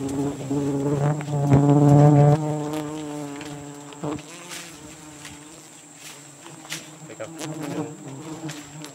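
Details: Giant honey bees (Apis dorsata) at a wild nest in Borneo during the rainy season, a dense low droning buzz with layered harmonic hum, swelling loudest early then settling; a man's voice briefly heard.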